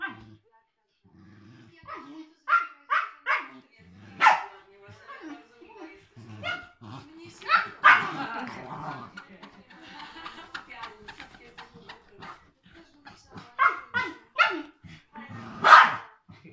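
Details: Eight-year-old Cairn Terrier and three-month-old Siberian Husky puppy at play, short high barks and yips scattered through rumbling growls, mixed with people talking throughout.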